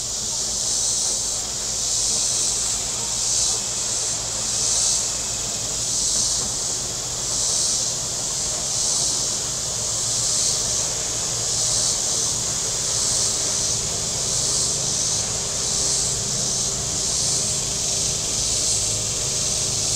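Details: A shrill cicada chorus on the lakeshore at Table Rock Lake, southern Missouri, on a hot Saturday with boats out. A steady high buzzing pulses roughly every second and a half, with a soft low rumble of boats beneath.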